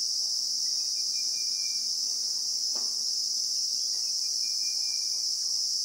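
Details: A Christmas beetle (Anoplognathus) in the bushveld of South Africa, recorded in real time, keeps up a constant high, hissing whine; a faint thin whistle drifts in twice and a soft tap sounds near the middle.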